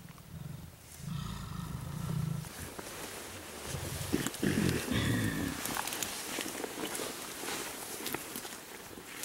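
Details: Mountain gorillas in Volcanoes National Park, Rwanda, July 2011, as an adult silverback grooms a juvenile and a female carries an infant on her back; low, harmonic rumbling calls lasting over a second, a short pause, then a rougher second rumble amid rustling vegetation.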